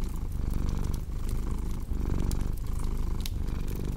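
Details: Low, buzzing cat purr pulsing in breath-length swells, with brief dips between inhale and exhale; fire crackles and small snaps sound in the background.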